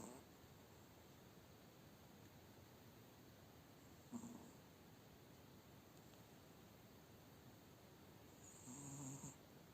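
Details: Sleeping Spitz dog resting after a tiring day gives a brief soft snore near the middle, then a longer low rasping snore near the end, against faint background hiss.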